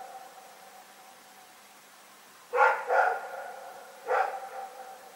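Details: Night barking from Rex the dog, February 27, 2018: after a quiet start, two close barks come in quick succession, followed by one more a second later.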